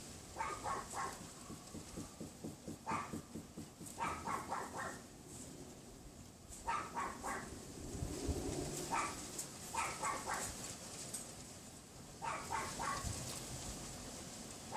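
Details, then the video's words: Neighbour's Pomeranian behind a wooden privacy fence, recorded from a bedroom window around 3:18 PM on a windy February 6, 2015 afternoon; sharp high yaps in quick bursts of three to six, repeating every second or two over steady wind roar. "Neighbor's dog barking / yapping on WINDY afternoon"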